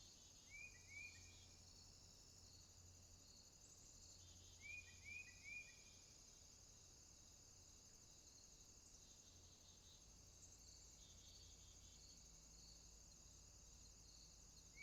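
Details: Crickets trill at night near a swamp in a steady, high continuous chorus, with brief upslurred chirps from another caller twice.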